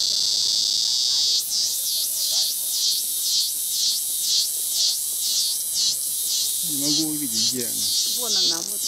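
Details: A cicada near a breadfruit tree in Rio de Janeiro gives a loud, high, shrill buzz that pulses about twice a second; several are heard crackling.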